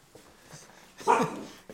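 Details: Chocolate Labrador Retriever puppies from Mocha's litter, on day 75, roaming the house indoors; one short, sharp yip-like bark rings out about a second in, with quiet room noise before and after.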